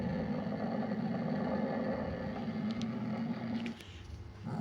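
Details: Sumatran leopard cat (Prionailurus bengalensis sumatranus), locally kucing hutan or kucing kuwuk, giving a steady low rumbling growl that holds for nearly four seconds, then briefly drops away before resuming.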